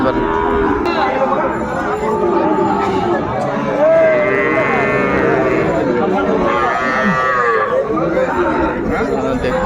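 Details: Lowing of Sahiwal bull calves at the Ambari livestock market, Faridpur, on 29 April 2024. Several short, wavering moos overlap through a busy mix of bargaining voices, crowd noise and faint music.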